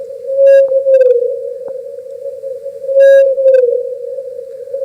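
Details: Blue whale song recorded off the Grand Banks of Canada, sped up thirty times: a steady hum of about 10 to 20 hertz that slides downward, then repeats; audible 3,000 miles away.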